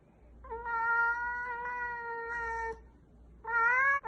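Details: Domestic cat giving a long, drawn-out, steady meow lasting over two seconds, followed by a shorter rising meow after a brief pause; a faint low hum runs underneath.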